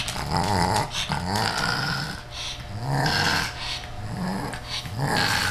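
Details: Playful growling from Rudy, a she-pug eager to play with the kitten Ms. Creamy; low rumbling growls swell and fade in rolling waves, roughly one every second, with snuffling breaths in between.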